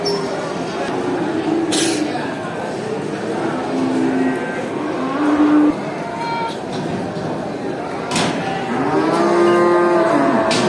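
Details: Several cows at a traditional animal market moo in long, droning calls that bend upward and downward amid a busy background.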